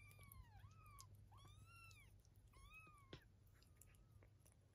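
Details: Three clear, drawn-out kitten meows, each arching smoothly and ringing with harmonics, from Eve's 23-day-old litter kept indoors with their mother; a sharp click near the end and a soft low hum beneath.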